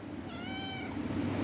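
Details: Adopted cat talking indoors: one drawn-out, smoothly arched meow of about half a second, clear and tonal, over a low steady room hum with no other voices.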